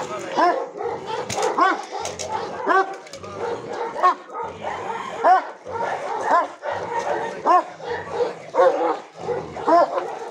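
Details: A Caucasian shepherd dog at a kennel, during protection work with a decoy, barks deeply and aggressively in rapid, uneven bursts while a man shouts.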